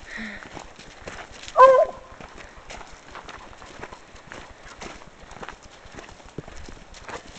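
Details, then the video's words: Pepper, a female Bluetick Coonhound out hiking, barks after catching a scent: one short, loud, harmonic bark partway through, with steady footstep-like clicks on the trail and faint human sounds around it. "pepper barking at a scent"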